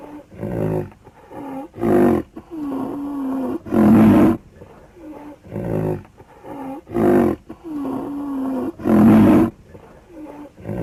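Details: Repeated rhinoceros vocalisations: short puffing snorts alternating with drawn-out, low, tonal moans that curve in pitch, and louder gruff bursts every few seconds, steady throughout.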